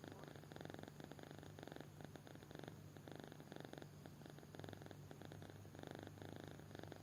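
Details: Deeply asleep kitten produces quiet, evenly spaced rasping breaths, a purr-like rhythmic rumble riding on a steady low hum.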